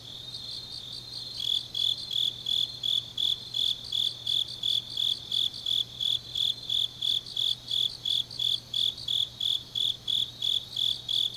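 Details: Nighttime autumn grass insects in Changnyeong, South Korea: a softer trill at first, then a loud, metallic chirp starts after a second and repeats evenly about three times per second against a faint constant hum.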